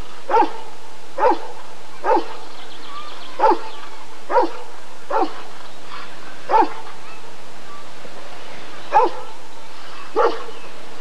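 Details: Deep, single barks from a Rottweiler at the 1994 ADRK Körung breed survey, spaced irregularly about one second apart, nine in all, over a steady low background hum.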